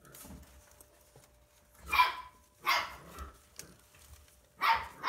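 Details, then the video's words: Siberian Husky puppies, born 30 January 2020, from a litter of six at a breeder in Hamamatsu, Shizuoka, Japan, jostling for teats while nursing; three loud, harsh yelping cries rise above soft rustling indoors. "おっぱい争奪戦 2020年1月30日生まれのシベリアンハスキー"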